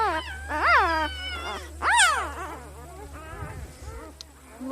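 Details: Two strong arched squeals from Misty's newborn litter of puppies, followed by a cluster of softer, wavering little whimpers and squeaks; a person speaks quietly in the background.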